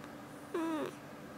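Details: Talkative domestic cat at home, February 2018, giving a quiet little 'kuu' coo to its owner: a single brief tone of about a third of a second, gently falling in pitch, with a near-silent indoor background.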